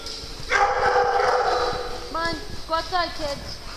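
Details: During a playtime session among several dogs on a farm, a person speaks and then a quick series of short, high, bending yips and whimpers follows in an excited rhythm.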